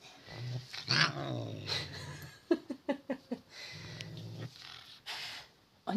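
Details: An angry domestic cat wearing a sweater growls in low drawn-out rumbles, twice, between a woman's speech and a short run of quick sharp sounds.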